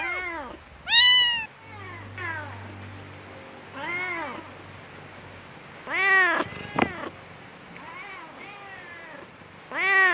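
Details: Cats meowing and moving about while looking for food and drink, heard near a bamboo tree: repeated arched meows of varying loudness, several long and strong, some softer, with a sharp click and a faint low hum.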